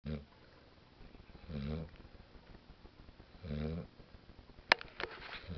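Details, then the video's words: Sleeping female dog snoring indoors: low, rumbling breaths in three separate bursts a couple of seconds apart, with a sharp click near the end and faint room noise between breaths. "Snoring Dog"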